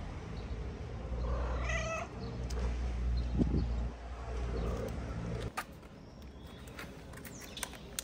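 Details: Stray kittens play-fighting on their wooden house in Morocco while mama cat eats; rapid series of loud wailing meows in the first seconds, then quieter rumbling background with faint clicks.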